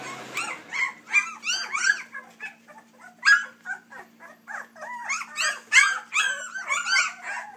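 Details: Three-week-old puppies from a Dixie and Colby litter whimper and squeal in a rapid, overlapping chorus of high, wavering cries that rise and fall, several per second, over a faint steady hum.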